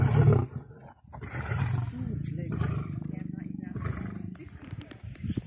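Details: Lioness playing hard to get, Masai Mara and Serengeti; a low, throaty roar swells into a sustained rumbling growl lasting about three seconds, then fades into grunts, with human voices talking around it.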